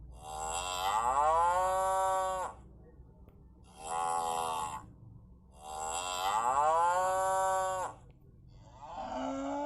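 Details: A cow (Bos taurus) gives repeated long, rich moos, each with a rising start and a steady harmonic tone.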